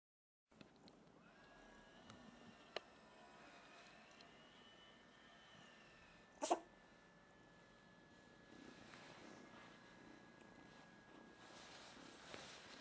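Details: Three-month-old kitten sneezing indoors: one sharp, explosive burst near the middle, with quiet room hum and a faint steady tonal whine before and after.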